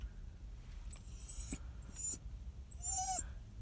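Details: A dog whining, sad and crying: quiet, thin whimpers, with one clearer falling whine near the end over a low background rumble.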